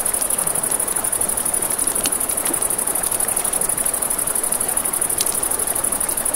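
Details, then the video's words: Crickets at night by a river: a steady, fast-pulsing high trill runs unbroken beside the rushing wash of flowing water, with sharp crackles and pops from a campfire. "Campfire by the River at Night Ambience | 1 Hour of Crackling Fire, Crickets, Ambient Nature Sounds"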